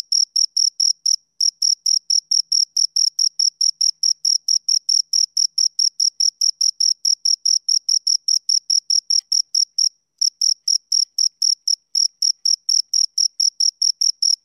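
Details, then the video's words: High, ringing chirps from two crickets repeat rapidly and evenly, broken by two brief pauses before the rhythm resumes. Nothing else is audible. "Two Crickets Chirp Sounds"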